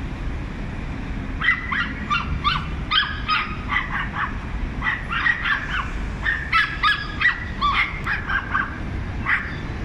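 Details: A pack of small dogs barks nonstop at a big dog, overlapping high yaps in dense bursts with brief pauses, taking turns, against a low steady rumble.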